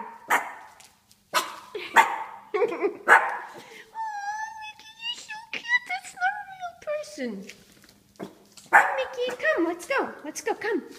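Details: Mickey the Shih Tzu puppy, 4 months old, treats a statue as a real man. A woman speaks, then comes a steady, tonal whine with a falling slide at the end, followed by more talk and short yelps.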